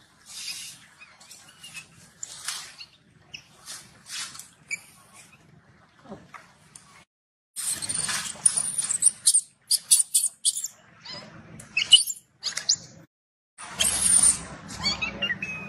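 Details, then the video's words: Infant macaque refused milk by its mother and shouting in anger: quieter scattered squeaks at first, then loud harsh high-pitched shrieks in dense bursts with short gaps, plus faint low rustling. "The mother monkey refused to give the baby monkey milk, the baby monkey got angry and shouted loudly"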